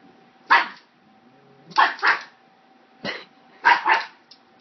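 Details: Frightened pug barking at a hair clip: sharp bursts, some in quick pairs, roughly one per second, over a low constant hum.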